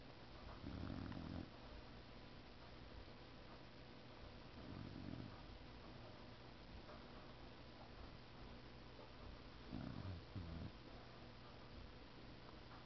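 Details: Boxer dog asleep and snoring: three low, rough rasping breaths about four to five seconds apart, fairly soft against a constant background hiss.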